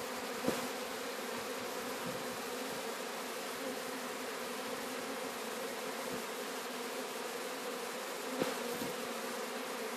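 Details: Sicilian honey bees swarming during capture at Sciacca: constant layered droning hum, even in loudness, with two brief sharp taps near the start and end.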